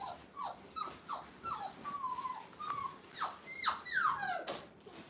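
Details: Five-week-old Brittany puppies, first time in a playpen at a training kennel, give a run of short whimpers that slide down in pitch, several overlapping cries, with brighter high squeals near the end.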